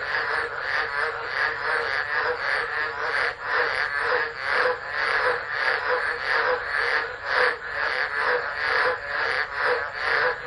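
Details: A dense chorus of tropical frogs calls together in a continuous, pulsing, trilling wall of sound during a tropical low, at Driver, Northern Territory, Australia, 13 December 2013.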